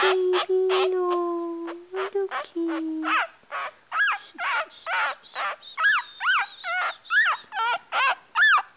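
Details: Crying Yorkshire Terrier puppy, a woman's long low cooing and talk at first, then the pup's high arched whines come through, repeated about twice a second, some wavering or broken.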